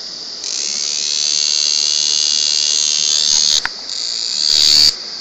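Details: Cicada sounding from very close range, striking volume for a small body: a sustained, shrill electric-like buzz holding steady for several seconds, a short break, then a final louder swell that stops abruptly.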